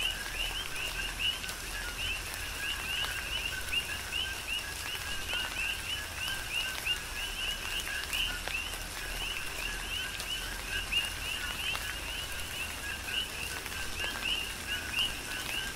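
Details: Many coqui frogs chorusing in tropical rain, Big Island, Hawaii; overlapping two-part calls, each a brief low note then a higher upslurred whistle, repeating without pause against a soft constant hiss of falling rain.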